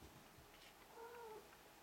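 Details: Ragdoll kittens aged five weeks at play: a brief, thin, level-pitched mew near the middle, over quiet background hiss.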